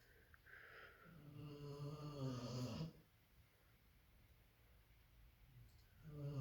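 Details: A sleeping female Labrador Retriever snores loudly with a deep, rattling rumble, then a quieter breath follows, while another Labrador dozes off nearby.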